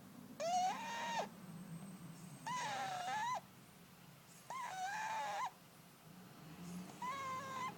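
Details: Fat male house cat asleep and snoring loudly: whistled, nasal tones about a second long, rising slightly then holding steady, repeated roughly every two and a half seconds with quiet breaths between, over faint room hum.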